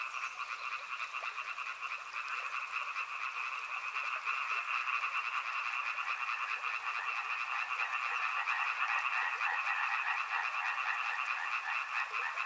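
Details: Frogs at a river in full chorus, quick overlapping croaks building in loudness after the first few seconds into a steady, bright trill.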